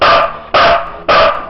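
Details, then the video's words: Sizara, a pet Siberian Husky, barks on command while counting to five: three loud, sharp barks, one about every half second, each cut off cleanly, with no other sounds between them. "DOG HUSKY SIZARA COUNT"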